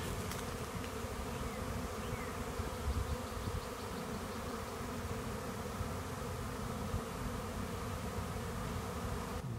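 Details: A swarm of honeybees entering a swarm trap, bees bearding off it in large numbers; an even, low, unbroken droning buzz throughout.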